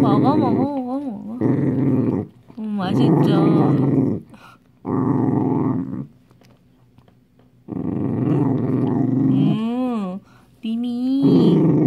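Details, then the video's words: Scared Dachshund growling over a homemade treat: rough, low rumbling growls in bursts of one to two seconds separated by short silences, with rising and falling whiny tones near the end. "닥스훈트 수제간식 먹으려고 으르렁 Dachshund"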